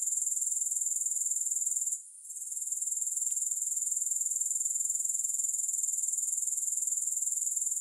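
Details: Grasshoppers producing an unbroken, very high buzzing trill of fast regular pulses, pausing once briefly early on before carrying on evenly; nothing else audible.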